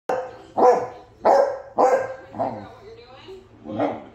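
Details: Basset Hound barking into the face of a Victorian Bulldog: five loud, harmonic barks in about four seconds, the first three sharp and evenly spaced, then softer ones with a short tonal whine between them.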